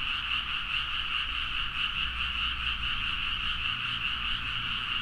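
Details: A midnight chorus of many frogs calling energetically in rice paddies at Nagaoka, Niigata, Japan, captured with a Zoom H4n: a continuous wall of rapid, rattling croaks throbbing a couple of times per second, over a soft low hum.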